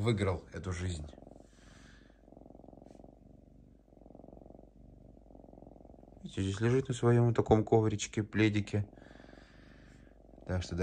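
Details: Pet lynx Diva, calm indoors and tearing up paper towel, purrs in a low, even, rapidly pulsing rumble for about five seconds, framed by a man talking in Russian before and after.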